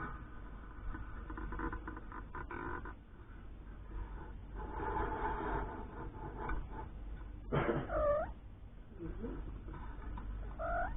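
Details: Mother cat Lucy with her three-week-old kittens, born after she was rescued from under a caravan; scattered rustling, then loud wavering high mews around eight seconds and another rising mew near the end, over low hum.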